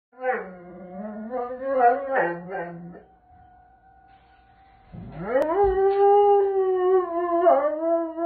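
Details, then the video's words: Doberman Pinscher howling along with the first-Saturday-of-the-month tornado siren test: two long harmonic howls, the first wavering then falling, the second sweeping up and holding steady, with a faint steady siren tone between them. "First Saturday Of The Month Tornado Siren - Doberman Alert"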